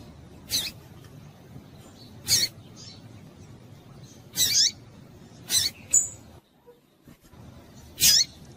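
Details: Female double-collared seedeater giving high, sharp chip calls to stimulate males, sounding every one to two seconds with a brief pause, over low background noise.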